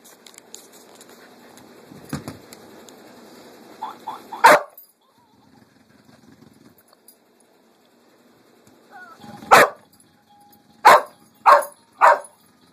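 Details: Lucy, a pet dog, barks at a Pink Pig Bumble Ball toy. A rumbling toy noise comes first, then one sharp bark. After a pause, four loud barks follow about a second apart.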